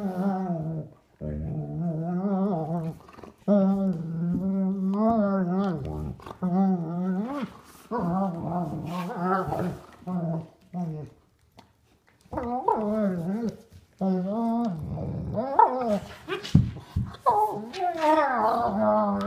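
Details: Adult sable German Shepherd Duke and puppy Havok playing for the first time without a toy: a long series of wavering, yodel-like growling moans, broken by brief silences, growing choppier and more agitated toward the end.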